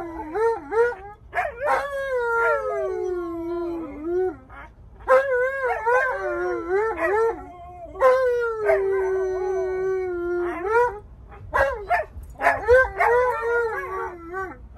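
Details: Stubborn Alaskan Malamute Tonka argues in a car, hating his seatbelt: a series of long wavering howls and whining yowls, each held one to three seconds, separated by brief gaps, with yelping breaks.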